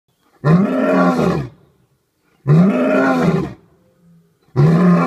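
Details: Jasiri, a lion at Dartmoor Zoo, roaring for the first time since arriving on 19th December 2014; three long, loud, deep groaning roars about a second each, separated by short silent gaps.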